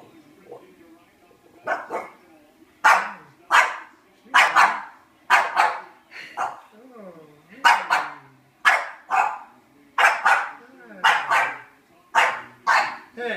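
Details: One-year-old female French Bulldog, jealous and thinking she is being replaced, barking nonstop at a French bulldog cookie jar; sharp, loud barks about once a second, some doubled, with a woman's voice in between.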